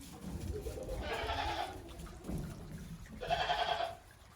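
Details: Farm goats outdoors on snow after a heavy snowfall in Japan, 28 December 2023, stepping cautiously; two quavering bleats about two seconds apart over low rumbling background noise.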